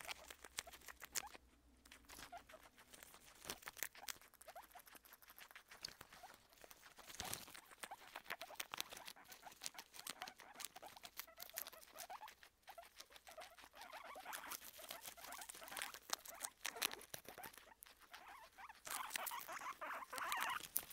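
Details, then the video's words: Crunching by guinea pigs Kona and Suba as they eat: steady crackling bites and rustling in quick succession, louder bursts near the end, no other voices clear. "Crunch Crunch Crunch [KONA & SUBA GUINEA PIGS]"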